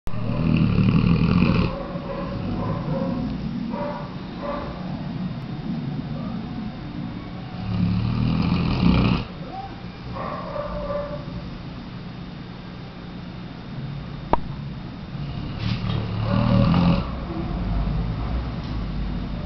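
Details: Weimaraner dog snoring: low, rumbling breaths in rough, uneven pulses, louder bursts near the start, middle and end separated by quieter stretches, with a brief sharp click partway through.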